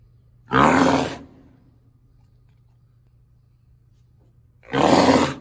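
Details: Rhinoceros gives two loud, harsh, breathy blasts, each about half a second long and roughly four seconds apart, with a steady low hum between them.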